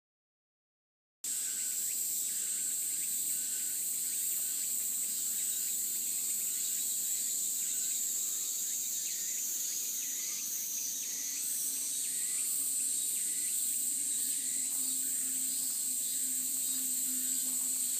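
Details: Cicadas along a mountain path in a cool breeze: a steady, shrill, high buzzing drone that runs unbroken after a short silent start, its pitch shifting slightly midway, with a faint low hum beneath.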